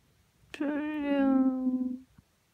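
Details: Ragdoll cat, one of two young house cats aged about ten months and thirteen months, meowing indoors in the morning as they come to greet someone waking up; a single long, low, drawn-out meow lasting about a second and a half, steady then slightly falling, in a quiet room.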